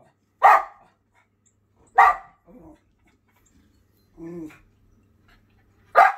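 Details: Schipperke named Jett driving birds off his property with loud, sharp barks about every one and a half seconds, interspersed with a brief whine and a short nasal growl.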